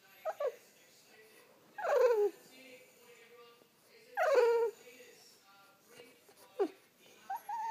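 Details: French Bulldog waking its owner: a series of falling, whiny vocal cries, three loud ones around two seconds apart with shorter yelps between, each sliding downward from a high start.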